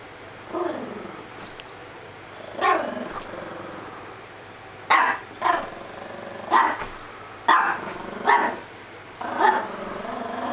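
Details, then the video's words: Chihuahua in full play mode, barking and growling while another dog ignores it: short harsh barks and rough growls come in bursts about every one to two seconds, with quiet pauses between. "Leroy Chihuahua Playtime"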